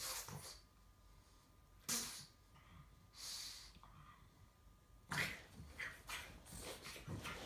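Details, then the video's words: A pug indoors trying to get a kitten to play, giving repeated short breathy snorts and sniffing bursts roughly every one to two seconds, over a faint steady electrical hum. "Very Important Pug Wants To Play"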